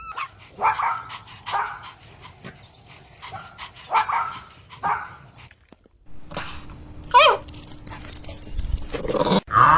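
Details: Puppies drinking milk on a lush green meadow, giving short yapping barks in loose bursts about a second apart, then a brief pause followed by a few higher yelps and whimpers near the end.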